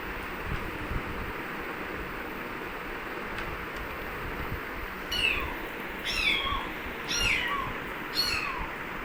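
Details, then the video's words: Kitten mewing: four short, high, falling mews about a second apart in the second half, over a steady background hiss. "hearing sound of baby cat"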